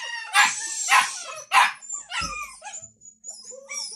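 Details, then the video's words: Hungry Samoyed puppies awaiting dinner give three loud, high yelps about half a second apart, then trail off into softer whimpers and a thin, drawn-out whine. "Щенки Самоеда в ожидании ужина"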